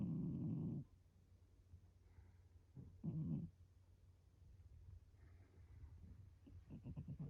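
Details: Domestic cat sleeping curled on a round stool, snoring steadily: low throaty rasping breaths in short bursts separated by pauses, with faint room noise and a few soft clicks near the end.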